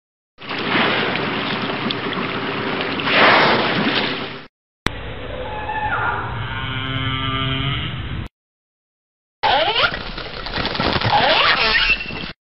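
Whale calls: drawn-out, moaning tones with layered harmonics and sweeping pitch, over a wash of water noise.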